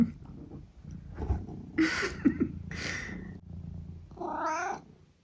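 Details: Eric the pet cat at breakfast time indoors: rustling and scuffling bursts first, then one wavering, drawn-out meow near the end.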